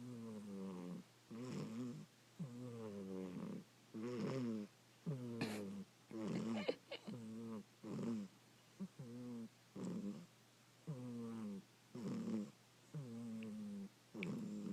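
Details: Domestic cat snoring while asleep, with loud, human-like tonal breaths. About a dozen short, wavering groans come in an uneven rhythm, roughly one per second, with a few faint clicks and rustles and a constant low hum behind them.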